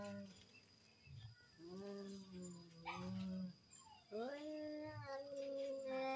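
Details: Cats in a fighting duel, with drawn-out wavering yowls rising and falling in pitch, several long moaning notes separated by brief pauses over a faint steady background hum.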